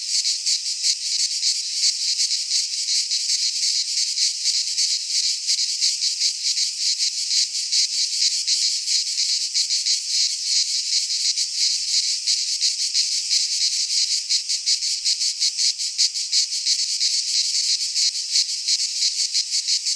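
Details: Cicadas singing in midsummer in a Greek pine forest: a dense, continuous high-pitched rasping buzz pulsing rapidly, around three pulses per second, steady throughout with no other sounds.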